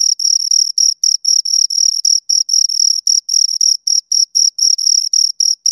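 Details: Two crickets chirping close up, a steady high-pitched trill broken into short bursts about four per second, with a fainter overtone above; nothing else heard.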